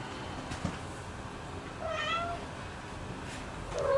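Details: Scottish Straight kittens feeding with their mothers indoors; two brief, high meows, one in the middle and one at the end, rise above a low steady hum.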